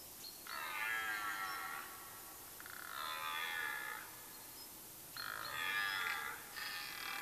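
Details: Red deer stag roaring in the rut, late September, in Mecklenburg-Vorpommern woodland, Germany: three separate moaning roars about two seconds apart, each a rich harmonic bellow lasting roughly one to one and a half seconds.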